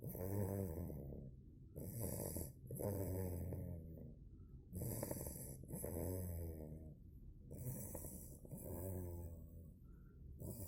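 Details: Bogemia, a two-month-old Cane Corso puppy, snores while asleep: rhythmic breathy rasps with a low rumbling base, each lasting about a second and coming roughly every two seconds, with short quiet gaps between breaths.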